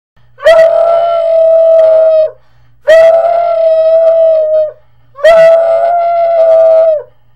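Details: Marley, a pet Puggle, howling: three long, steady mid-pitched notes of about two seconds each, each opening with a sharp breathy attack and ending in a slight downward slide, separated by short pauses in a quiet indoor setting.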